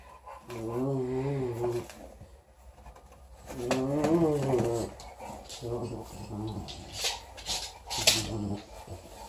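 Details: Young English Bulldog puppy, a four-week-old female, growls while playing with her teddy bear. Two longer rumbling, wavering growls are followed by shorter choppy grunts. A woman speaks nearby.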